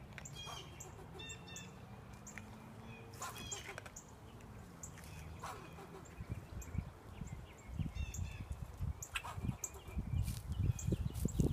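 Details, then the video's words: A squirrel, barking at a person sitting outside, gives sharp, chirpy barks in short bursts over heavy low wind rumble. "Barking squirrel!!"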